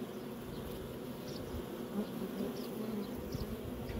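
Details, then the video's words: Honey bees swarming while making honey, steady layered buzzing drone with individual bees flying close by now and then. "Bees making Honey"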